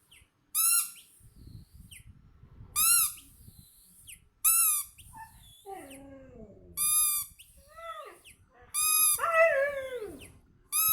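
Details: A Siberian Husky, behaving wildly on hearing a squeaky sound, gives sliding, falling whines between sharp, evenly spaced squeaks from a toy.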